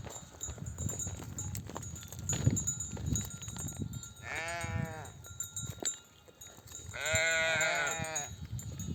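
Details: Nomadic flock returning from grazing in desert oak country, mother sheep bleating for their lambs to suckle: two quavering, harmonic-rich bleats in the second half, above a constant rumble of movement and shuffling hooves.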